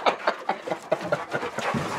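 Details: Dog at a kennel, panting in quick rhythmic bursts about every quarter second, with breathy noisy puffs filling the short recording indoors.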